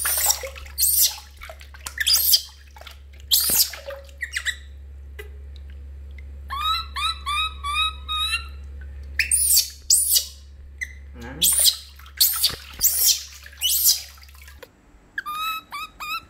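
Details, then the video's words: During bath time the baby monkey Lori cries loudly, rapid trains of shrill, falling squeals repeating in clusters, broken by loud splashes and the rush of water. "Super Crying Loudly Baby Monkey Lori While Take A Bath"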